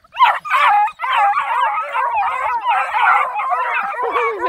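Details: Nine Black and Tan Coonhound puppies on a hike around a pond, loosed together in a noisy pack: continuous overlapping yelping barks and bays, wavering and high-pitched, with no pause after the opening yelp.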